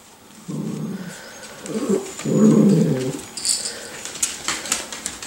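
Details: Nine-week-old Miniature Schnauzer puppies of the Nut litter, indoors: short low growly whines and yelps in three bursts during the first three seconds, then quieter shuffling and clicks, with a person's voice nearby.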